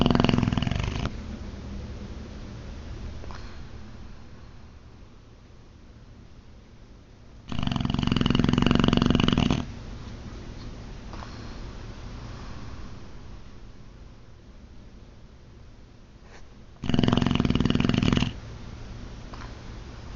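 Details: Boxer dog asleep and snoring loud: rattling snores about two seconds long recurring roughly every nine seconds, with quieter, hissing breaths between.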